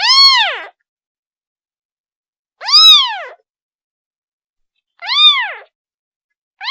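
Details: Kitten calling its mother: high arched meows with rich harmonics, rising then falling, each under a second long, three full calls spaced about two and a half seconds apart with a fourth starting at the end; quiet between calls.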